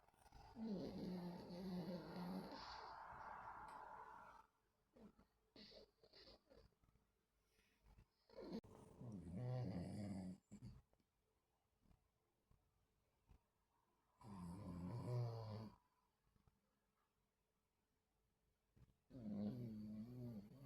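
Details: Pet dogs sleeping and dreaming indoors, recorded on 26 August 2024: low rumbling snore-like breaths in bursts of a few seconds, separated by near silence.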